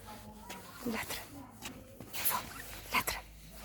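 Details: Evo, a German Shepherd, waiting at home for her owner to return; a few sharp barks and yips rise above a woman speaking Romanian to the dog in an indoor setting.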